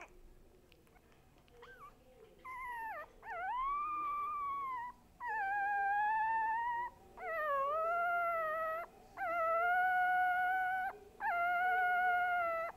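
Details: Young dog giving a series of six drawn-out, tuneful howls, each lasting one to two seconds. The howls rise and dip slightly, come about every two seconds, and are heard against a quiet indoor background.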